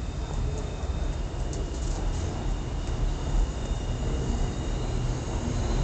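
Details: A dense low rumble like passing traffic fills the whole stretch, with faint muffled speech and no animal voice.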